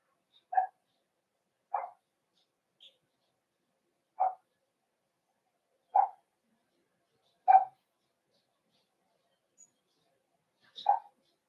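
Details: Cavalier King Charles Spaniel puppies in a home puppy pen, on 13 December 2022, during socialization with several of the household's bigger dogs. Sharp mid-pitched barks ring out one at a time, roughly every one to two seconds, seven in all, in a quiet room.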